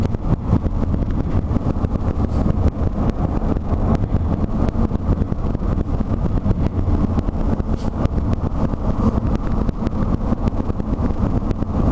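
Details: Wind buffeting and road noise from a moving vehicle with windows down, a steady low rumble throughout and no barking heard.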